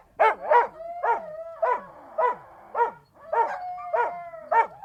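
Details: Rhythmic Siberian Husky barking, about two barks per second, each bark harmonic and bright, with a held howl tone running underneath between barks.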